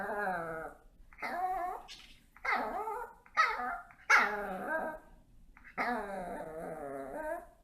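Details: Dogs waiting for treats indoors give long, wavering whines and moaning vocalisations in several drawn-out bursts, with a couple of sharper barks in the middle.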